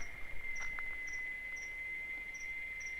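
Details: Cicadas sing during the mating season in the Caatinga sertão of Bahia: one continuous, even-pitched whine without a break, with short thin chirps about twice a second over a low rumble of background noise.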